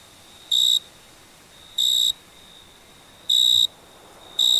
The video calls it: Cricket Chirping Summer Night Sound Effect